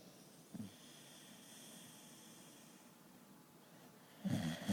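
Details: Biggs, a pet dog, snoring while asleep, said to snore like a grown man; a short low rasping snort opens, a steady soft breathing rumble follows, then a louder, rougher snore bursts out near the end.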